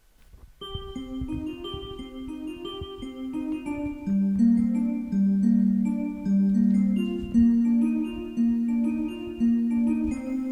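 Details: Gentle piano-like melodic music with sustained chiming notes plays throughout, with no animal voices.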